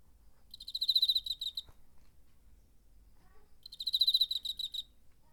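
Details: September 2019 cricket, captured with a DR-05 recorder: two bright, high-pitched pulsed trills of roughly a second each, separated by about two seconds of near silence.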